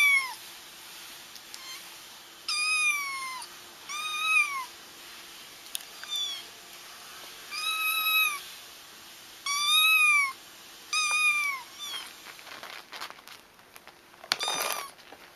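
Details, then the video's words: Kittens crying to draw their feral mother into a trap: a string of shrill, bending mews, some paired closely together, spaced a second or two apart, with a short rustling thump near the end. "30 minutes of Kittens Crying"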